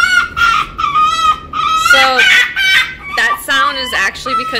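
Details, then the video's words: Rescued female red fox, born on a fur farm and kept there her first five months, now learning to trust people, whines for more affection once petting stops: repeated high, wavering, tonal whines in short bursts with strong overtones, some breaks between. "Winter the Fox Talks"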